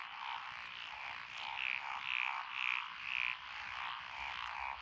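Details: Frogs calling from lotus paddies in Echizen, Fukui, Japan, 12 June 2021; the species named are Japanese tree frog, Tonosama frog, wrinkled frog and two green tree frogs. Four loud clear croaks follow each other about every half second over a dense background chorus.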